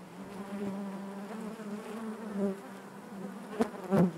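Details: Honey bee colony humming within the hive: a constant low buzz with harmonics, plus two sharp nearby bursts, possibly a bee passing close, toward the end.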